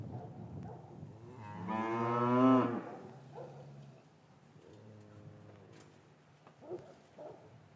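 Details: Cow lowing in an English cattle yard on a winter afternoon after calves were separated from their mothers; one long, loud, rich harmonic moo swelling then fading, followed by a softer, steady lower moo and quiet yard noise.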